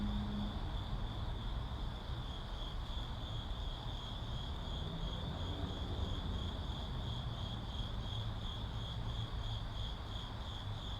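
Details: Crickets in a city setting keep up a continuous thin, high trill with gentle beating, while heavy low-pitched traffic hum and a brief low tone sit underneath.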